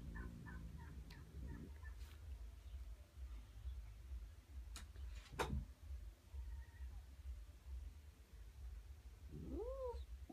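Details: A stressed, grumpy Siamese cat gives a rising-then-falling meow over a low, steady rumble on meeting a new kitten and another Siamese cat.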